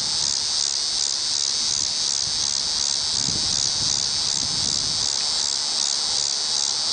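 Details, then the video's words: Tibicen walkeri cicada in a tree by the WWI Museum entrance, Kansas City, Missouri, October 5, 2008, giving an unbroken shrill buzz that throbs at a steady rate, with faint low rustling midway. "Cicada: Tibicen walkeri"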